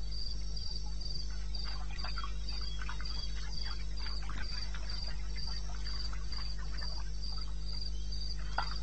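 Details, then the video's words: Night chorus in eastern Botswana's wilderness, 2:30 AM on 21 May 2016. A cricket keeps up shrill, evenly spaced chirps near four per second, while busy clicking and crackling insect-like sounds and a constant low drone fill the background. "1 Hour cricket sound-Africa"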